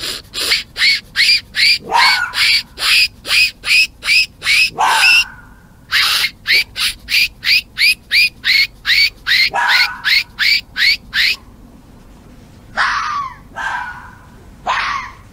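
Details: Mating-season fox calling: a fast, loud series of harsh, raspy barks, nearly three per second, in long bursts with brief pauses, ending in a few drawn-out, falling screechy calls.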